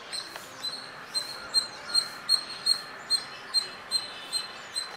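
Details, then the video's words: Squirrel chirping, recorded on a Nikon D5300 camera with a 300mm lens: sharp, high chirps repeated steadily about every 0.4 seconds, roughly twelve in five seconds, over a soft constant background hiss. "Squirrel sound | squirrel chirping sounds"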